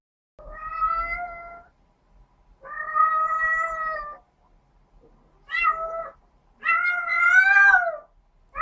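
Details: A female domestic cat in heat gives long, drawn-out, baby-like wailing cries calling for a mate, a sound often heard outdoors during the spring and summer breeding season.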